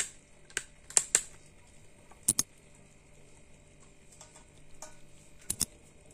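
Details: Quiet room with sharp clicking taps like typing on a keyboard, a faint steady electrical hum and no animal sounds.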